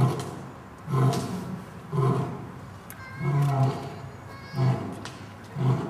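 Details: Lion parents at Dortmund Zoo in autumn 2009, with three young lions nearby, give a short roaring chorus: six deep grunting roars, about one per second, each a low throaty burst with rich overtones, some longer and swelling.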